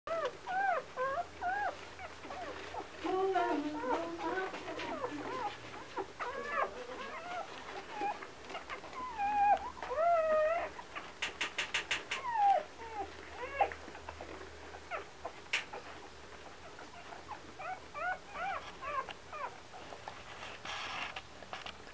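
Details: Old English Sheepdog puppies whimpering and whining: many thin, wavering, high-pitched whines in quick overlapping bursts, some rising then falling, with a brief rattling sound near the middle and quieter stretches toward the end.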